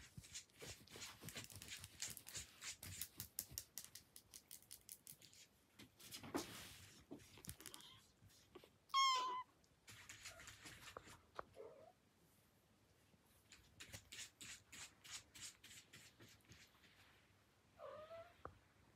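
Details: Indoor Devon Rex cats from the Kocia Zagroda cattery: rustling and clattering give way to one loud, bright meow that slides downward, then two softer, shorter meows later, with handling noises in between.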